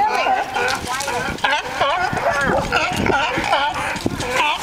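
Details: Sea lions fighting and singing together, layered honking barks with wobbling pitch overlapping constantly, some louder bleating calls rising above the rough background chorus.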